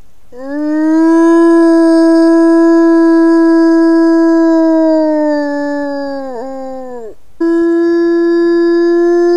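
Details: A wolf holds a long, smooth, even-pitched howl for about six seconds, sagging slightly before breaking off, then begins a second howl at the same pitch; possibly asking its family group where they are.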